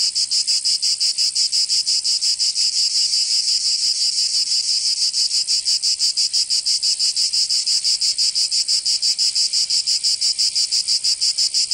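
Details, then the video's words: Summer cicada chorus from Provence in the south of France. A shrill, dense buzz pulses steadily about three times a second throughout, unbroken and even, with nothing else audible. "Canto Cigarra"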